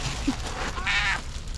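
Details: Calico cat sitting on a motorcycle meowing on seeing food: a drawn-out harmonic meow near the middle, with a woman talking to it about breakfast before and after.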